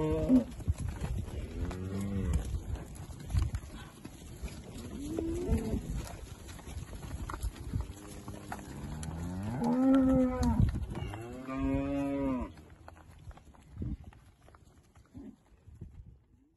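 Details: Spring and summer calved Holstein Friesian milking cows on a low-cost UK grazing farm; repeated low moos of varying length, several overlapping and swelling louder around the middle, then fading to near quiet.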